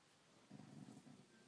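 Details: ['A brief low, rough rumble from Gypsy the dog, a growl of under a second with a slight break near its end, heard against quiet room tone.']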